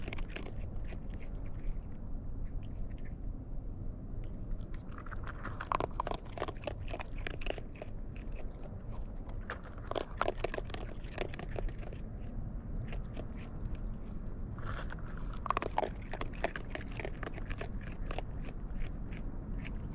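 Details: Wild raccoons chewing food close by: bursts of crisp crunching and crackling bites alternating with quieter pauses, over a soft low hum.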